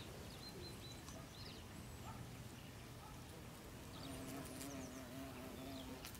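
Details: Bees among flowering strawberry tree blossoms in a garden in autumn. A faint background hum becomes a clearer, wavering buzz in the second half, while brief high bird chirps and twitters sound intermittently.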